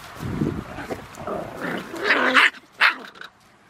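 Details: Three San'in Shiba puppy siblings playing happily together in a farm field; rough, noisy grumbling and gruff growl-like bursts, ending in two sharper yelping squeals, then quiet.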